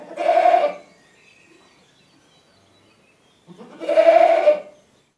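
A goat gives two loud, harsh screaming bleats, separated by a few seconds of quiet.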